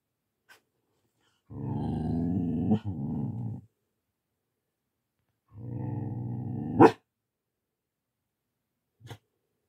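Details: Siberian Husky puppy being introduced to a pet tortoise that woke early from hibernation because of warm weather, during socialisation. Two sustained low, rumbling growls of about two seconds each, the second ending in a sharp click, then a faint tap.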